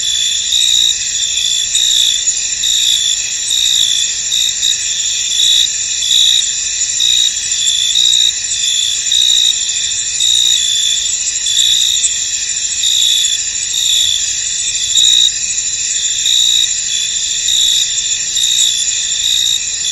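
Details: Many crickets calling in a fog-covered field, a constant shrill high buzz layered with quick repeated chirps that blur into an unbroken ringing chorus.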